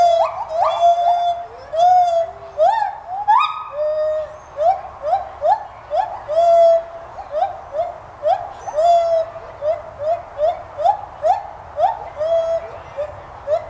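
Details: White-handed gibbons at the Santa Fe College teaching zoo in Gainesville, Florida, giving clear whistled hoots; a few notes sweep sharply upward, then a long run of short rising notes repeats quickly, roughly twice a second, over a low background hum.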